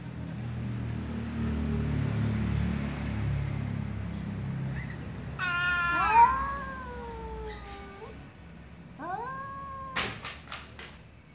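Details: Ginger cat and black cat meowing to each other while a little cat drinks. A low rumbling background gives way to a long, harmonic meow that falls then holds steady, then a shorter rising meow, followed by sharp clicks.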